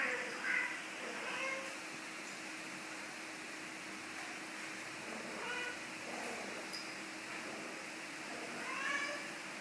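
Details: Domestic cat giving a few short, faint, high meows near the start and again at the end, over a steady background hiss in what sounds like a small room.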